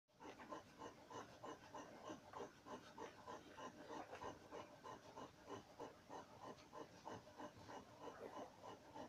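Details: Two-day-old Dogo Canario puppies of the B litter at the El Mundo Fantastico kennel, making a steady run of soft, nasal grunting squeaks, about three each second, in a busy, overlapping stream without pause.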